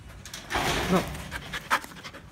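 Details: Belgian Malinois during basic training, panting in breathy, noisy bursts: a longer stretch early on, then shorter puffs, with a trainer's brief spoken commands mixed in.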